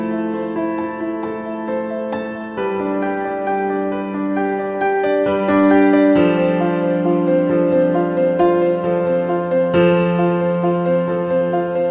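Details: Gentle piano music with sustained chords throughout, and no animal voices.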